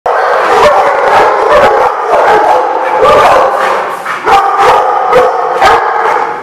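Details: Many dogs barking together at a kennel-style lot, dense overlapping barks and yips with some howling tones running continuously throughout, no quiet gaps.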